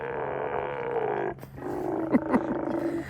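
A group of sea lions makes a noisy chorus of deep, harsh growls and roars. A sustained rasping drone breaks into short, louder grunts and barks toward the end.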